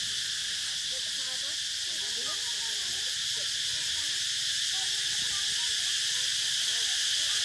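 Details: Shrill, even cicada drone without breaks, swelling slightly toward the end, over faint scattered low chirping calls.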